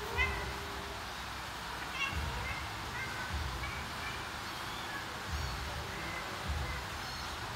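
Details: A mother cat searching for her kittens gives short, soft meows every few seconds, a contact call telling them to follow her.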